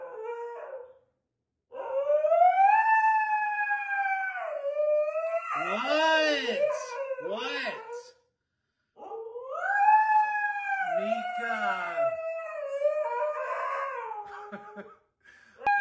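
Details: Female Siberian husky named Mika howling and yelling indoors at her owner, upset at not getting a treat; long drawn-out tonal howls rising and falling, broken by yodel-like wavering cries and short pauses, with background music.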